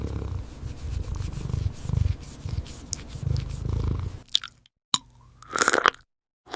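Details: Cat eating, with steady low, soft munching and chewing noises for about four seconds, then a short break and a brief rising meow-like sound near the end.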